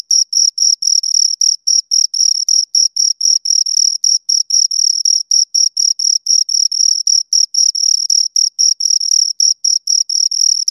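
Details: A pair of crickets stridulating: sharp, high, metallic chirps pulsing about four times each second, some pulses longer and some clipped short, sustained with nothing else audible.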